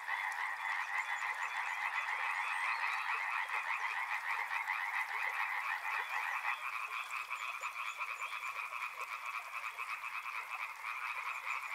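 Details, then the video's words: Dense frog chorus beside a river, many callers overlapping in rapid pulsed croaks at roughly three or four per second, forming steady bands of sound with no pauses and no other voices. "Frog Sounds | Soothing sounds of river and frogs"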